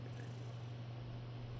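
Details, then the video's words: Black house cat purring loudly while relaxing and being petted after breakfast. A steady, low, continuous rumbling purr runs without a break. "Cat's Epic Purr Party"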